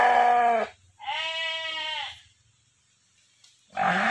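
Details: A hefty stud ram kept for natural mating, roughly 90 kg, bleats three times: a short call, a longer wavering one lasting about a second, then another cut off at the end, with quiet gaps between.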